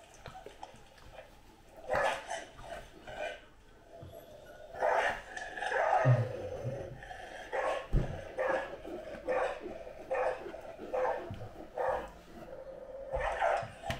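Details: Great Dane barking in short bursts, mixed with drawn-out, wavering howls that hold a steady mid-pitched tone for a second or two, the barks and howls alternating irregularly indoors.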